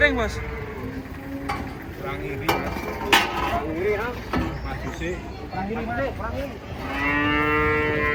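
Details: Knocks and clatter from unloading giant cattle off a truck break up brief, bending moos. The clip ends with one long, steady, loud moo.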